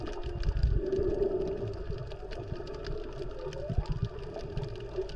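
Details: Underwater off Maui, Hawaii, a snorkeler records humpback whales during peak season, mothers with calves nearby: a sustained low moaning tone, then a brief upward-sweeping whoop, all over crackling, bubbling water sounds.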